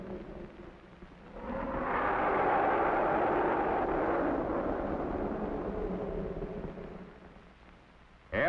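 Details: Playful young African elephants at the Bronx Zoo give a long, brassy, blaring trumpet that swells loudly and holds for several seconds.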